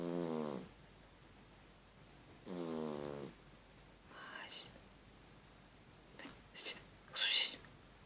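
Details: A sleeping cat snoring like a human gives two drawn-out, tonal, buzzing snores a couple of seconds apart, followed by soft hissing, whisper-like sounds and small clicks.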